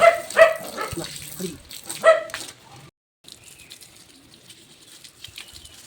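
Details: Labrador Retriever during bath time on a rainy day, barking at home; a few clipped, bright barks in the first two seconds, then a brief pause and a faint hiss of water and background noise.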